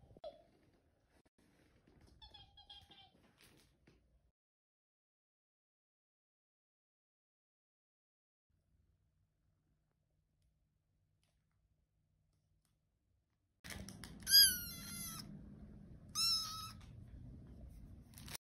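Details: Muffin, a tiny, needy, high-maintenance kitten wanting attention, gives a quick run of thin, high, wavering meows near the end after a long quiet stretch, with a few faint sounds early on.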